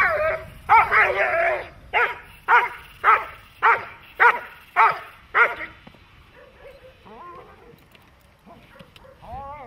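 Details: Dog in protection training barking hard and evenly, about eight sharp harmonic barks roughly every half second, then falling quiet while softer whines and distant voices follow.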